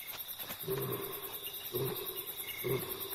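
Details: In Kenya's Masai Mara, a lioness gives deep, grunting roars about once a second, calling for her pride over a steady cricket chorus; rogue nomadic males hear her instead.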